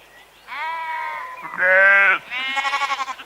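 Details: Sheep bleating: three drawn-out, harmonic baas, the middle one loudest and lowest, the last with a wavering, quavering tremolo.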